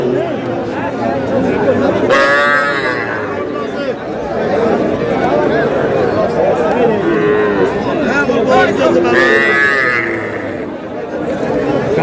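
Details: At a Madaripur cattle market in Bangladesh on 28 April 2026, young bull calves let out two loud, bright, upward-sweeping bawls several seconds apart. Busy murmur of buyers and sellers bargaining fills the gaps.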